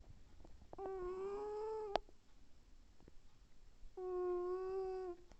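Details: Domestic cat snoring loudly in its sleep indoors, two drawn-out nasal, whistling tones about a second long and roughly three seconds apart, each steady in pitch with a rich buzzy overtone.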